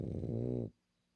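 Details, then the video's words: A female French Bulldog gives a single short, rough, low snore of under a second that stops abruptly, leaving near silence in the room. "BULLDOG FRANCÊS RONCANDO"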